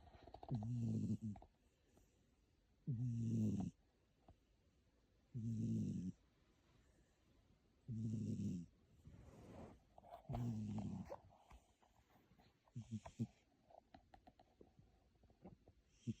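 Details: Cat sound asleep in a room, snoring loudly as it does only there: steady deep rumbling snores with a breathy hiss, repeating about every two and a half seconds, six clear cycles, quieter and more broken at the end.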